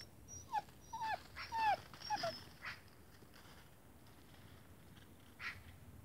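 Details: Central Asian Shepherd puppies from a kennel whimper indoors: several thin, high whining cries that slide downward come in quick succession over about two seconds, then quieter breathing and shuffling.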